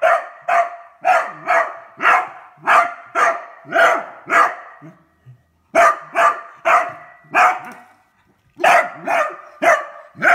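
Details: A Beagle that has found a new toy barks repeatedly, sharp loud barks roughly every half second in bursts, with two short pauses between runs.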